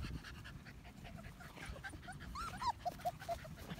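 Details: One-month-old medium poodle puppies whining: a run of short, high, bending whimpers, about five in the last second and a half, each brief and falling, over low background rustle and faint voices.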